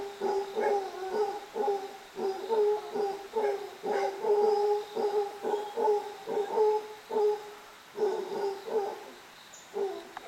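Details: Howler monkeys playing near Nuario, Panama give a run of hoarse, hooting grunts in quick, rhythmic bursts.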